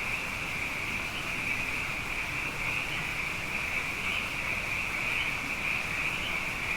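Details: Abundant frogs calling at night after two wet years in a row form a continuous chorus, a steady high pulsing trill with no pauses and faint low background rumble.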